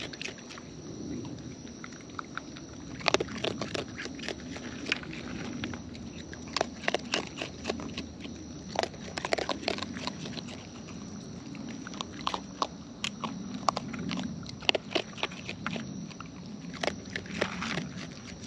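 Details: Wild raccoons eating up close: bursts of loud crunchy bites and crackles arrive in dense clusters, separated by short pauses, over a soft low rumble and a faint steady high tone.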